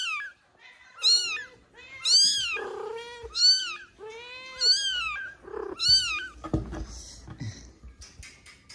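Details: Kitten crying for its mother: a rapid series of shrill, piercing meows about every second, arched in pitch, followed by handling noises and softer squeaks near the end.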